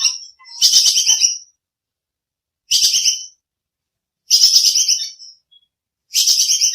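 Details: Bajing kekes squirrel used as songbird training audio; four rapid, scratchy high chatters of about a second each, spaced by pauses of one to two seconds, nothing else audible.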